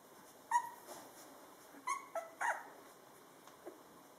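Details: Two-week-old Drentsche Patrijshond puppies, born 8 March 2013 and recorded 23 March while learning to walk, stumbling and falling; a few short, high squeaking whimpers, some with a clear ringing tone, scattered over quiet background hiss.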